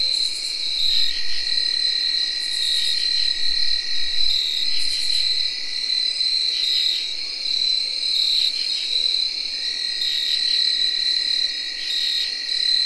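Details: Steady night-long whirring of tree crickets in early October 2021, a constant high trill. Rhythmic raspy katydid bursts recur every few seconds, and field cricket chirps sit in a lower band.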